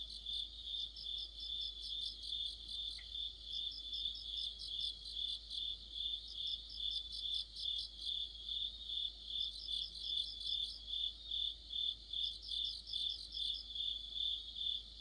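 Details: Deepening autumn chorus of crickets and other insects: a constant high rhythmic chirping, with separate higher trill bursts of a few seconds each breaking in about every three seconds.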